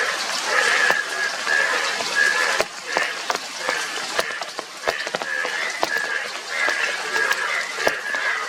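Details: Indian yellow bullfrogs, yellow frogs with blue cheeks, calling together in a dense chorus. Nasal, honking croaks overlap, many spaced under a second apart, with sharp clicks and a steady background hiss.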